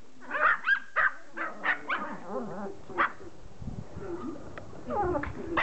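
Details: Pomeranian begging to play fetch: a cluster of shrill yaps in the first three seconds, then quieter whining, shuffling and low murmurs.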